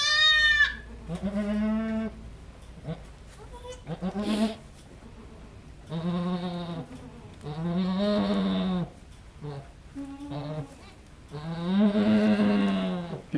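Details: Domestic goat doe giving birth to triplets on a farm, calling during delivery of the second kid: a series of long, loud, nasal bleats, some strained and wavering, separated by short pauses, with people talking quietly.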